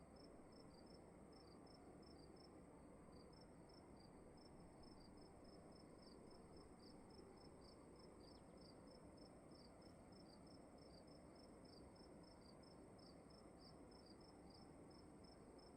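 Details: Crickets calling inside a room at night: rapid high, thin chirps repeated several times a second, with two slightly offset series overlapping, over a steady low rumble of room noise and a faint high hum.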